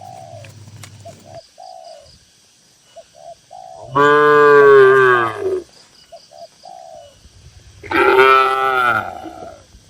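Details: Tame cattle, dozens of them, in a farm barn: two long, deep, rich moos, the first near four seconds and the second near eight, with faint short cooing notes between them.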